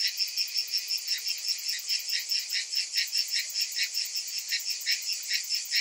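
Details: Cicadas on a hot summer afternoon, many calling at once: a dense, high, shimmering buzz pulsing in rapid regular beats, about two or three per second, with a steady hiss above and no other sounds.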